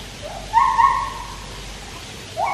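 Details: Captive white-handed gibbons singing at Taipei Zoo, beside a swimming Malayan tapir: a clear whistled note rises and holds for about half a second, then a second rising note begins at the end, over a steady low hum.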